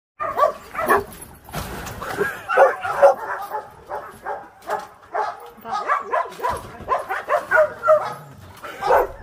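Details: Dogs described as fierce, surrendered hunting dogs of mixed breed, filmed during feeding; a long run of sharp, mid-pitched barks and yips comes in uneven bursts, several close together, with possible voices mixed in.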